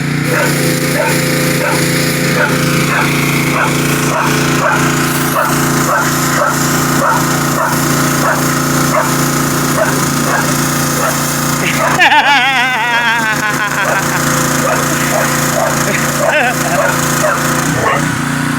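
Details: Female dog barking in reaction to loud noises, which she hates. Short barks repeat about twice a second over a steady hum, with a brief crashing noise partway through. A person speaks nearby.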